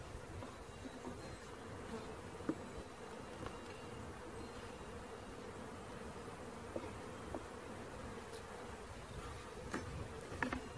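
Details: Bee swarm being caught, a steady droning hum held at one low pitch throughout, with scattered soft clicks and taps of handling over the top.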